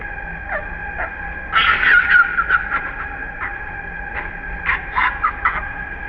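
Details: Angry baby monkey named Jayden cries after his mother denies him milk, his body shaking; scattered brief squeals, then a loud cluster of harsh wailing cries and more short bursts near the end, with constant high insect-like drone behind.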